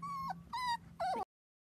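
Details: A 4-week-old Dachshund puppy from a litter of seven playing on a trampoline with kids; three clear, tonal whines, the first long and level, the next two shorter with a downward bend, then silence.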